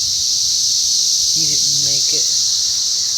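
A chorus of cicadas fills the air with an unbroken, shrill hiss-like drone, high and even in pitch. Partway through, a man speaks a few quiet words beneath the buzzing.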